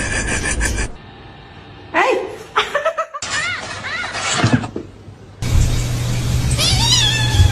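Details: Mother cat calling her kittens: several short, tonal meows that arch up then fall, spaced irregularly between abrupt cuts, mixed with human speech and some background music.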